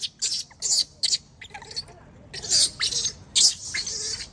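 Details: Wild baby macaque crying loudly after being bullied by its mother: harsh, noisy shrieks in rapid bursts, about seven or eight sharp screams spread over four seconds with brief gaps between them.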